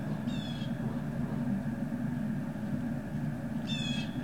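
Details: Great Dane puppies at Puppy Hill on 18 November 2018, afternoon. Two brief, high, squeaky whines, one near the start and one at the end, sit above a constant low rumbling background.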